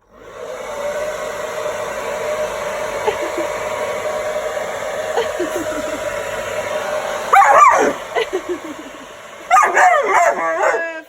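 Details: Alaskan Malamute Grace gives harsh, howling barks in short bursts at a hairdryer's steady roar; she seems afraid of it and doesn't understand where the air comes from.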